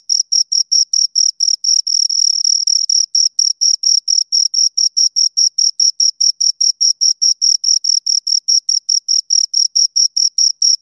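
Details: High, ringing cricket chirps from two insects repeat in a fast, steady beat of about two to three per second. A brief run of fused pulses appears early on, and the backdrop is otherwise quiet.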